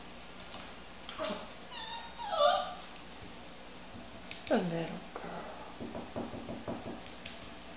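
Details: A female Beagle balks at a flight of stairs indoors and gives high, tonal whines, including one long falling whimper that slides downward. A person's coaxing voice is heard alongside.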